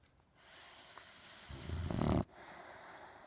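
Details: Boxer dog asleep while cuddled in someone's arms, giving a single low, rumbling snore that swells over most of a second and cuts off sharply, with soft breathing noise before and after.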